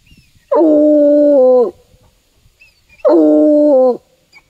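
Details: Bluetick Coonhound tracking a scent to a tree in the woods, baying twice: each a loud, level, drawn-out howl of about a second with a slight drop at its close, spaced roughly two and a half seconds apart.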